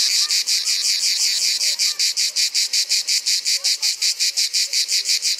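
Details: A male manna cicada (Cicada orni) in Provence in summer sings to attract a female: a harsh, buzzy rasp broken into rapid pulses, about three each second.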